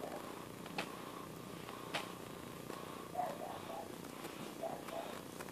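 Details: Continuous low, even purring from a domestic cat, with occasional soft taps and a faint murmur of voices in the background.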